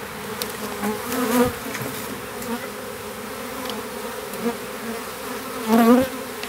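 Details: Small western honey bee swarm hived in privet hedge thicket in south Alabama, 12 April 2014; low droning buzz with individual bees flying close, rising loud whines near one and six seconds.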